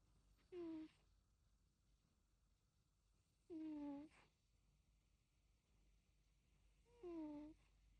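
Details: Sleeping Egyptian Mau cat snoring: three short squeaky whistled tones, each sliding downward, about every three and a half seconds in a quiet room.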